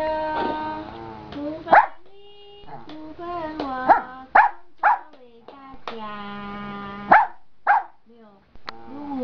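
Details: Good-humoured giant panda singing in the afternoon, mixing steady harmonic tones with sharp chirps spaced about a second apart, and a brief silence near the close.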